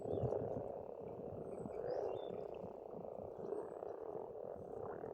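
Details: Croaking frogs at a pond in Estonian countryside during spring form a continuous dense chorus, with a few brief whistled bird calls drifting above.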